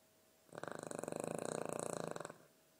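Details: Dog asleep and snoring indoors, one drawn-out rattling breath lasting nearly two seconds, with fast, even pulses through it, rising and fading smoothly against quiet room background.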